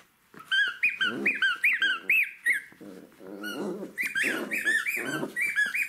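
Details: A playful Jack Russell Terrier puppy with toys, loud and insistent: rapid high whines and yips tumble over one another, almost continuous, layered over a lower rough grumbling, in a small indoor space.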